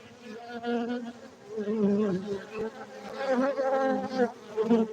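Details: Close, continuous hum from farmed honey bees at a Gayo apiary in Aceh, Indonesia, the low droning pitch bending up and down as individual bees circle near.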